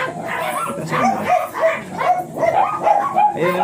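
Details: Morning at a kennel in Manaoag with Ziggs, a blue Miniature Pinscher: a run of shrill, slightly whiny yaps repeated roughly three times a second, overlapping a murmur of human voices.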